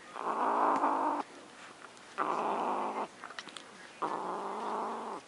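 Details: Pet cat Luna growls over her macaroni and cheese in three drawn-out, harsh bursts, each about a second long, separated by short quiet gaps with faint clicking.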